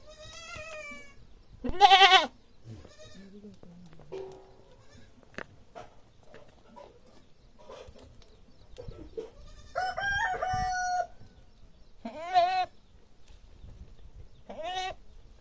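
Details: Goat bleating loudly in a series of quavering, harmonic-rich bleats, some wavering and trembling. Bleats come at the start, near two seconds, and again after ten seconds, with quieter rustling and knocks between them.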